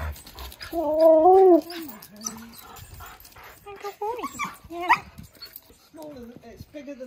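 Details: Pet dog in a garden where a husky meets a cockapoo puppy named Ivy. It gives drawn-out, wavering whine-like vocalizations that bend up and down in pitch, then shorter yowling bursts with brief pauses between them.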